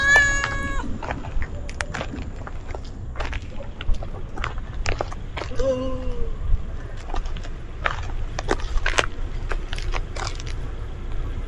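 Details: Friendly cat met outdoors, with a short harmonic meow at the start and a second, falling meow near the middle. Scattered clicks and rustling run throughout against a low background rumble.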